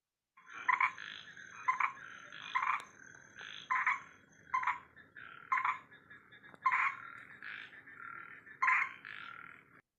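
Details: A larger cricket frog of Indian grasslands, a robust-legged species with short tubercles and black lip crossbars, gives harsh, rattling croaks in short bursts about once a second.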